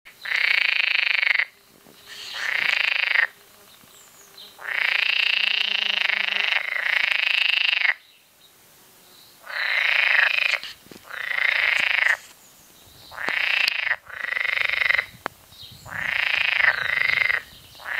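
Green frogs croak in loud, harsh, rattling bursts, each lasting one to two seconds.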